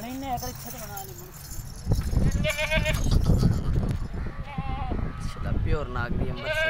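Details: Nagri goat giving several wavering, quavering bleats, some short and some drawn out, scattered through the recording over a steady low rumble with human voices talking in the background.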